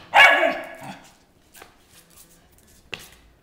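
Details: Molly, a pet dog, running around the house being vocal while playing; one loud harmonic bark-howl at the start, then quiet shuffling and a short sharp yip near the end.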